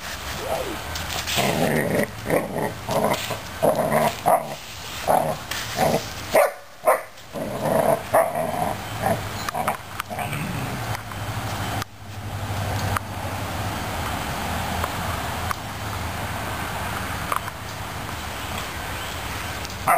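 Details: Suzy Q, a Newfoundland puppy, attacks a broom in play: a flurry of short barks and growly yips fills the first seven seconds among sweeping and scuffling noise, then mostly broom rustle with a few faint yips.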